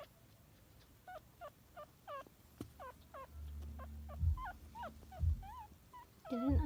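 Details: Chihuahua puppies whimpering while feeding, one unable to find a nipple: a long run of short, thin, rising squeaks, some wavering, coming about twice a second, with soft low thumps and rustling underneath.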